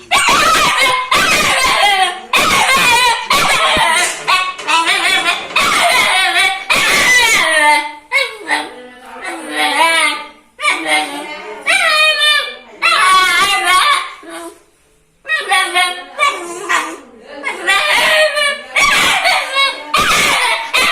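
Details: Angry dog or puppy barking in a fast run of high, yelping barks with rising and falling tones, packed closely over twenty seconds with only brief pauses.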